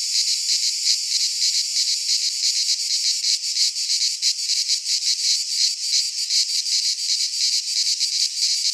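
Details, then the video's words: Unbroken shrill cicada drone, a high hissing buzz that wavers slightly in loudness from moment to moment, alone without other sounds. "Cicada Sounds"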